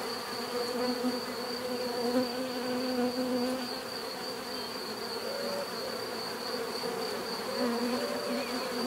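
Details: Bees buzzing in a busy swarm-like drone, individual flyers passing with wavering, sliding pitch and gentle swells in loudness, over a faint constant high whine.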